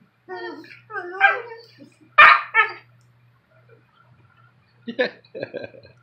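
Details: German Shepherd-Rottweiler mix puppy Bonnie and Maltese Harley arguing in the morning; whiny harmonic yelps and grumbles build to one sharp, loud bark, a pause, then more short yips and growly mutters.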